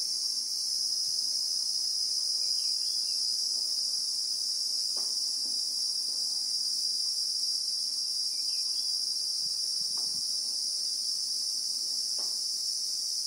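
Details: Christmas beetles (Anoplognathus) shrilling continuously among acacias in the South African bushveld, a constant bright high-pitched drone recorded in real time, with a few faint soft knocks underneath.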